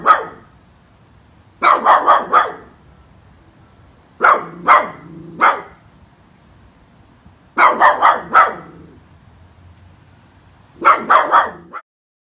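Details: Angry poodle making powerful barks in rapid clusters of three or four harsh barks, each cluster separated by roughly two seconds of quiet, five clusters in all.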